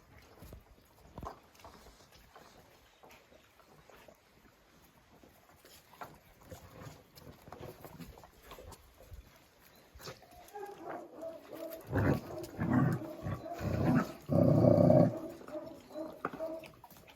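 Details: A Jack Russell Terrier called Oscar breaks into a burst of loud, tonal, strained barking and growling over the final seconds, preceded by a long stretch of faint low rumble and knocks.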